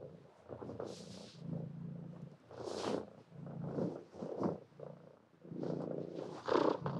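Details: Cat purring close up, a low continuous rumble broken by louder breathy huffs and sniffs every second or two.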